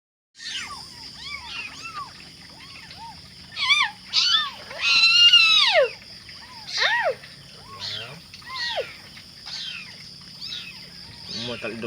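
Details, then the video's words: Five very active hungry kittens calling for their mother, a chorus of high, arched mews, some short and some long and wavering, overlapping irregularly with a steady high background hiss. "5 little kitten making noise..mama stay cool"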